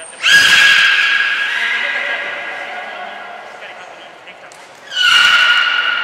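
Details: At Port of Nagoya Public Aquarium on 2 April 2023, belugas in a whole-group training session give two loud, horse-like, whinnying squeals with strong harmonics, the first drawn out and slowly fading, the second starting sharply about five seconds in.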